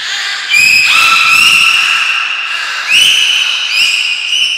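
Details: Belugas Gray, Nana and Mirai during a training session at Port of Nagoya Public Aquarium, Japan, on 6 August 2023: loud, rising whistles that level into sustained, harmonic-rich tones, with a few low thumps in a large indoor hall.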